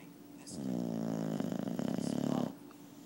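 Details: Rescued 2-year-old male Boxer, being treated for heartworms, snores indoors: one loud, drawn-out rattling snore of about two seconds with a low harmonic buzz, set between quiet breaths.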